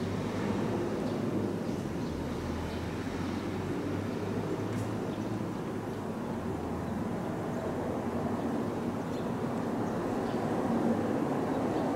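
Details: Steady low rumble, like passing traffic or a train, under broadband background hiss, with no animal voices.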